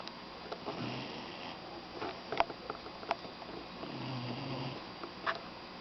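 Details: Doberman puppy snoring while napping indoors: soft, low nasal snores with breathy sniffs, two drawn-out rumbling breaths separated by quiet room sounds and small clicks.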